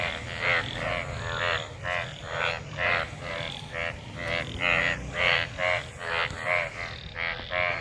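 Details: Many frogs calling in rain-filled water after monsoon rain, mating: a dense chorus of harmonic, nasal croaks pulsing roughly twice a second, overlapping callers, steady rain-like hiss underneath.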